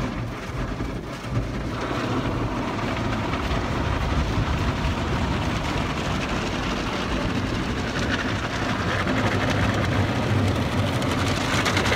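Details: Loud, continuous rumbling and spraying of car wash machinery fills the whole stretch, with no animal sound.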